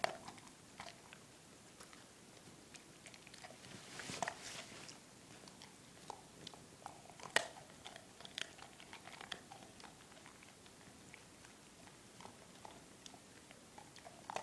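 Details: Crunching and biting from Drake, a German Shepherd puppy of four months, working through milkbone treats in a small room; scattered crisp cracks with a dense burst of chewing around four seconds and a sharp snap near seven.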